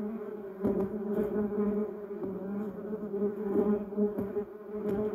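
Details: Several bumblebees foraging on a yellow cassia shrub and duranta erecta give a continuous low droning hum, with short louder surges as individual bees pass close.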